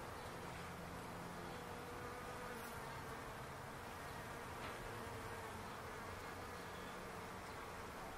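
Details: Bees in a palo verde tree in a backyard, a dense steady low hum of many wings droning continuously throughout, with faint background noise.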